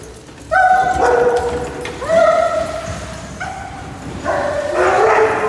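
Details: Dogs in a group named as Labrador Retrievers, German Shepherds, Border Collies, Goldendoodles and others give drawn-out tonal calls, each about a second long, rising then holding steady. Several voices overlap at different pitches, with a faint background hum.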